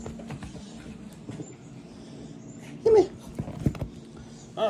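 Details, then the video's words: Chihuahua greeting its owner indoors; one short, high whine sliding downward partway through, amid the owner's excited, affectionate talk and faint background noise. "Chihuahua greeting me."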